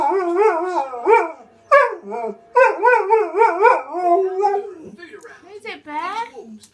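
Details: Malamute husky cross dog 'speaking' to wolves howling on television (Steve Backshaw programme): quick run of short, pitch-bending woo-woo syllables, yodel-like, several per second, growing softer toward the end.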